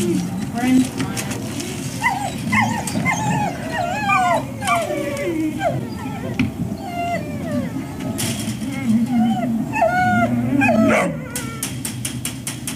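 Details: Several dogs at the Service Dog Project in Ipswich, Massachusetts, USA, waiting one on one for breakfast on October 14, 2017, give high, wavering whines that overlap and bend up and down almost nonstop, with people talking beneath.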